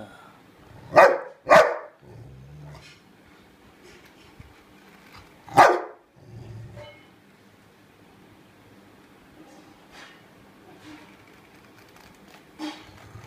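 A Rottweiler gives sharp, deep barks with low growling between them while guarding a bone.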